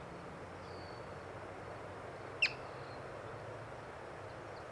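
A yellow-bellied marmot gives one sharp, high chirp over a quiet, faintly humming background.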